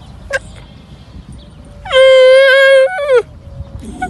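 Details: A baby camel (saqb, ha'il or huwar) whose mother will not accept it gives a sad, distinctive call. It is a sustained, nasal, harmonic moan of about a second that dips at its close, with a short faint call before it.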